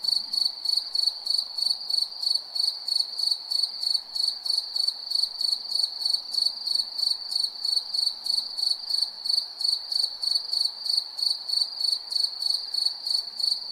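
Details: A cricket chirps steadily at night, giving high, ringing pulses about three times a second.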